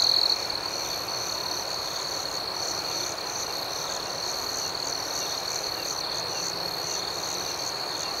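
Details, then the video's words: Crickets at night: a steady, high, shrill chorus of chirping, with faint pulsing trills layered above it, continuous throughout, with no other clear sounds. "Soothing Cricket Sounds"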